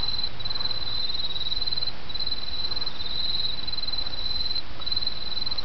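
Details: High insect trills of autumn come in phrases of about a second, parted by brief pauses, over the soft continuous rush of a nearby stream.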